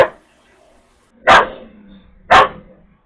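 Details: Female Jindo dog threatening a male, who bares his teeth but holds back; two loud, sharp single barks about a second apart, with a faint low whine between them.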